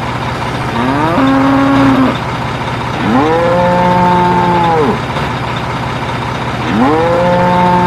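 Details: Sacrificial cattle, a mix of black, white, brown and spotted cows with calves, boarding a truck in turn at a pen: three long, drawn-out moos with rich harmonics, rising then falling at the end, over a steady idling engine hum.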